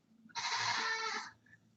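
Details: On a chilly day at a farm barn, a female goat in heat gives one loud, harsh, drawn-out bleat lasting about a second; it was first mistaken for distress.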